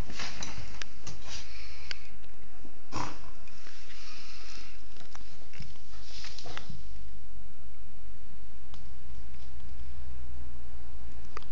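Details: Female pet dog sneezing indoors in a small room while savaging her blanket; sharp, noisy bursts of breath around the first, third and sixth seconds among snuffling and sniffing, then quieter rustling toward the end.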